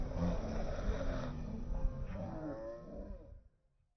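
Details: An aggressive sea lion on the fishermen's wharf at the Port of Mar del Plata, Argentina, charging at other sea lions and people, lets out a low, throaty, pulsing roar with a guttural growl, holding about three seconds before cutting off.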